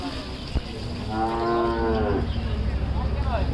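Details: Large cattle at the Hazratpur cattle market, freshly bathed: one drawn-out, rich moo of about a second, set against a constant low rumble and crowd murmur.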